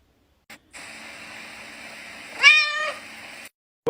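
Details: Domestic cat being woken by its owner gives a single drawn-out meow lasting about half a second, rising then falling with rich harmonics, over a steady background hum, with brief clicks before and a sharp sound at the end.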